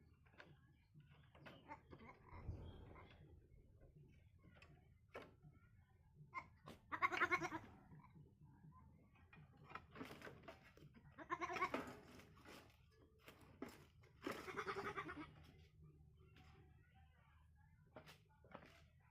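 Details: Baby goat heard through a noisy background: three soft, wavering bleats spaced several seconds apart, mixed with scattered clicks, knocks and steady low hum.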